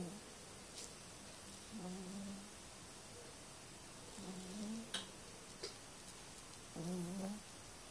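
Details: Sleeping cat snoring softly, three short droning breaths with faint overtones spaced about two and a half seconds apart, a few sharp clicks in between against a steady hiss.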